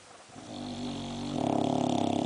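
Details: Boxer dog asleep and snoring, one breath swelling into a loud, buzzy, rattling snore with a fast vibrating flutter toward the end.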